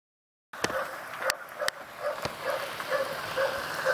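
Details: A pit bull tied to a post outside, which barks all day and night, barks steadily on a Sunday late morning in November 2012, giving short hoarse barks about twice a second.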